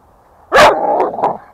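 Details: American Staffordshire Terrier playing with its owner outside near home, giving one loud, sharp bark that trails into a shorter, rougher tail lasting under a second. A man's voice urges the dog on just before and after.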